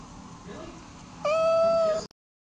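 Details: Sleepy pet cat, spoken to about sleeping a few more minutes, gives one long, flat, strongly voiced meow that stops abruptly into silence.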